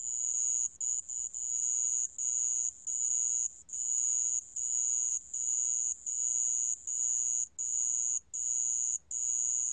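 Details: Sand ground cricket. A sand ground cricket gives a steady, high-pitched metallic trill. The trill runs in bursts of roughly one second, separated by short, irregular breaks, with nothing else clearly heard.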